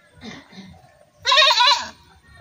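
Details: A single strong, wavering goat bleat lasting about half a second. Faint low murmuring sounds come before it.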